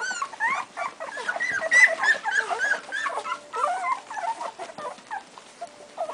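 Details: Strongbow puppies at two weeks of age, several whimpering at once with short rising squeaks and wavering whines tumbling over one another in quick succession.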